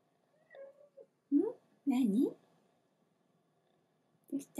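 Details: Hatch, a pet cat who loves being held like a baby, grows angry and meows to be let down from her owner's arms indoors. Two loud, drawn-out wavering meows come in close succession, followed after a pause by a shorter meow, with softer faint sounds earlier.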